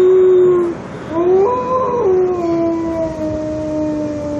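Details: A grey wolf in Montana gives a long, smooth howl that swoops upward, holds, then slides slowly down.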